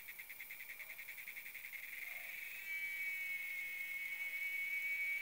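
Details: A cicada in a tree in the RGV: fast throbbing buzz pulses at roughly three to four per second fade out, then a loud, smooth, sustained high whine takes over.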